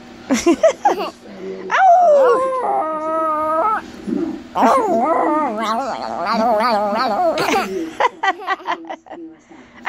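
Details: Chihuahua learning to howl but reverting to barking: sharp yaps at the start, then drawn-out, wavering, tonal howl notes, followed by more yelps and a burst of quick barks at the end.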